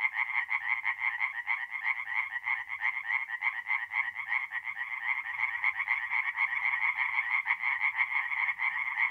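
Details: Chorus of tree frogs at a forest pond by night, mid-April, north-east Italy; fast trains of harsh pulsed croaks from many frogs blend into a continuous rattling wall of sound, with a faint low rumble beneath.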